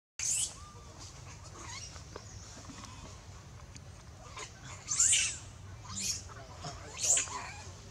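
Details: A baby monkey, said to be in danger, gives shrill, piercing screams in short bursts, calling loudly for its mother to help; monkey.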